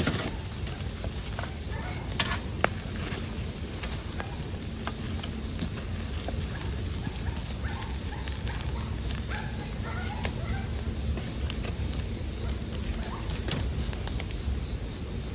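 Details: Continuous shrill ringing of a bell cricket, even and sustained for the full length, while a wood fire snaps and crackles irregularly nearby and a faint low hum drifts in and out.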